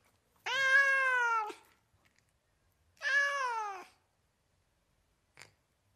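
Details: House cat from California giving two long, steady meows about a second each, rich in harmonics and slightly falling at the end, followed by a faint brief click in an otherwise silent room.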